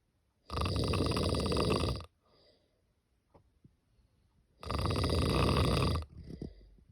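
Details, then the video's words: Deep rattling snores from a cat sleeping, two drawn-out harsh breaths near one and a half seconds long, about four seconds apart, with faint soft breaths between. "Snoring cat"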